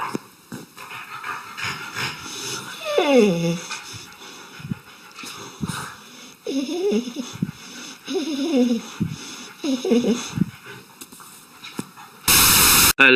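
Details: Dog making several whining yowls, each sliding downward in pitch, spaced every one to two seconds, with a person talking in the background and a sudden loud burst of noise at the end.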